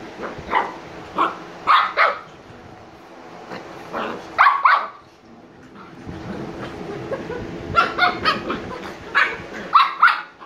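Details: Shiba Inu puppies Niro and Kyno, 86 days old and sleepy, let out scattered bright, yappy barks in short clusters separated by quiet pauses and a low steady hum.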